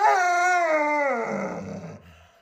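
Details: Alaskan Malamute Luoluo, a house dog protesting a pretend puppy stew; a loud, rich, drawn-out howl that starts high and slides steadily lower before trailing off into a soft groan.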